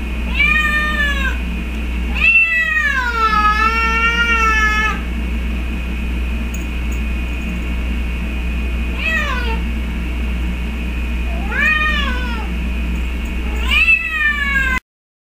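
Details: Domestic cat calling repeatedly for a missing companion cat, including one very long wavering meow lasting about three seconds, followed by shorter falling meows, against a constant low hum.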